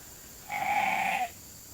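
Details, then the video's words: Sheep bleating while being called into the holding pen for an evening grain snack at Nature Lane Fiber: one level, drawn-out bleat of under a second against a quiet background. "Calling the Flock in for the night"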